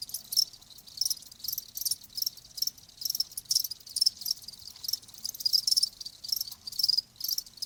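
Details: Crickets trilling, high-pitched chirps in clustered bursts over a steady background of further insect buzz, with the rhythm uneven across the stretch.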